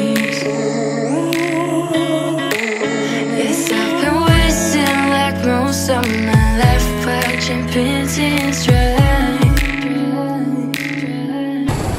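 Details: Electronic music with a steady beat, layered synth tones and deep bass drops plays throughout, with no animal voices heard.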